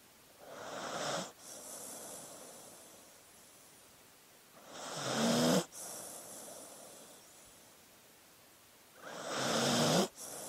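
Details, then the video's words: Sleeping dog snoring: three broad, rasping breaths that swell in loudness and end abruptly, roughly every four to five seconds, with quiet hiss between them. "Sleeping Dog Sounds"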